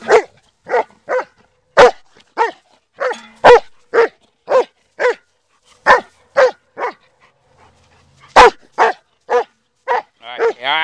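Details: Black German Shepherd dog barking in loud, sharp single barks repeated about every half second, with short pauses, a few barks doubled, and a higher yelping bark near the end.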